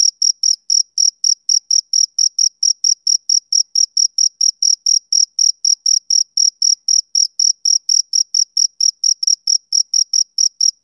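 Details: A male cricket gives a summer-evening chirp, a continuous run of short high-pitched pulses repeated in an even rhythm, roughly four a second, against complete quiet.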